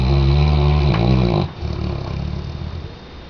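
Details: Sleeping Weimaraner giving a deep, buzzy snore that lasts about a second and a half, then fades into quieter, rough breathing.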